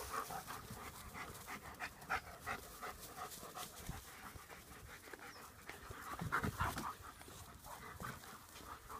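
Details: Playing German Shepherds, rapid rhythmic panting, breathy puffs roughly three per second, with a slightly louder stretch near the end and background scuffling.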